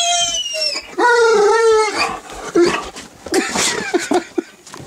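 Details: Great Dane puppy, eleven months old, watching himself on TV indoors, giving a drawn-out whining howl that wavers then breaks into rough, noisy yelps and grumbles, with faint background voices.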